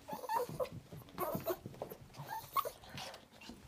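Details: Chihuahua, a female pet dog, whimpering and whining to keep her owner from leaving her alone; short high nasal whines and yips in quick irregular bursts, indoors in a small room.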